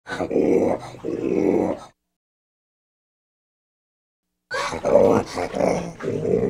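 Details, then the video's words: Orangutan growling with audible inhales: two rough, noisy low growls, the first over about two seconds in two pulses, then a pause, then a longer run of harsh, breathy growls and gasping inhales. "Orangutan Growls with Inhales"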